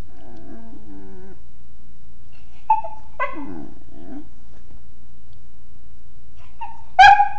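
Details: A mastiff puppy, drowsy and vocal, makes a run of soft murmuring whines and low grumbling groans, with brief nasal squeaks in between, ending in one louder high yelp. The background is otherwise quiet.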